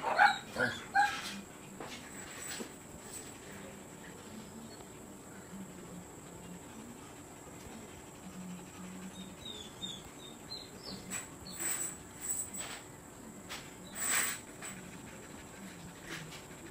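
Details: Siberian Husky at a kennel offering stud service. A few short, high whining yelps come in the first second, then a long quiet stretch broken by faint scattered clicks and rustles before a brief noise near the end.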